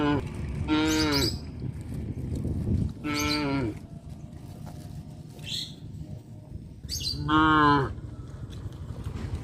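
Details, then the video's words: Village cows heading to the livestock pen in the afternoon along a road, mooing three times at roughly three-second intervals, strong rich calls over a continuous low rumble. "Sound of cows moo"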